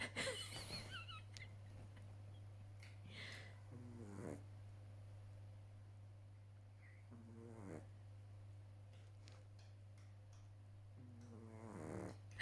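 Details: A sleeping 12-week-old Boston Terrier puppy snores in slow, rasping breaths, with a steady electrical hum underneath.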